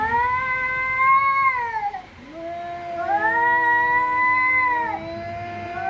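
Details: Fighting cats trade drawn-out, moaning yowls, a steady high wail overlapped by a second lower, wavering voice, both sustained for several seconds with little break.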